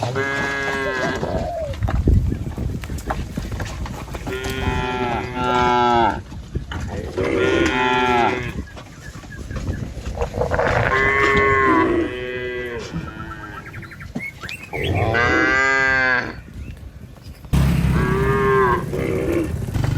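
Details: Village cattle herded in a line over a wooden bridge toward green pasture call repeatedly, long harmonic moos rising and falling, one after another from several animals with brief gaps, over a constant low rumble.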